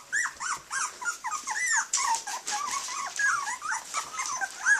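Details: Jasmine, a 19-day-old blue merle female Australian Shepherd puppy, whimpers and yelps almost continuously: quick, bent, squeaky calls repeating several times a second. Some are higher and thinner, others drop lower, in a small indoor space.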